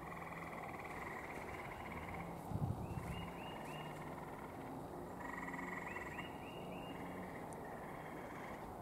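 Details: Gray tree frogs calling at night around a little pond as warmer weather brings them out, one found low over the water: rapid pulsed trills at fairly high pitch, several overlapping callers, over steady broadband background noise.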